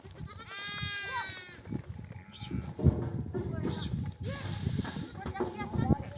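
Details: Mother sheep of a nomadic flock returning from grazing in the desert, calling lambs to suckle; one clear wavering bleat opens, followed by fainter bleats, hoof and movement noise, and a low murmur.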